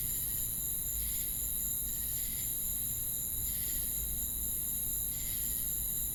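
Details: Crickets outdoors at night give a steady, high, shimmering trill, with louder pulsed bursts roughly every second.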